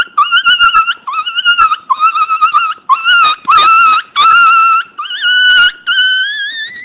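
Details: A Pinscher puppy cries loudly in repeated high whines, some short and choppy, others long and sustained, with a final note bending upward.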